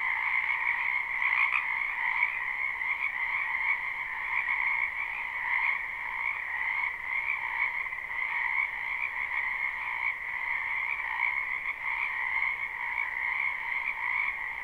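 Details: Wetland frogs in spring, recorded live with no looping: a softer, constant chorus of many croaking callers, rhythmic trills merging into a level hum across the whole stretch.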